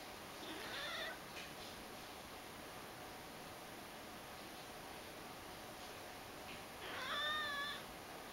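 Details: Ragdoll cat begging its owners with cute cries while following them around: two short, bright meows with a rising-then-falling tone, one near the start and another about six seconds later, with faint steady hiss between.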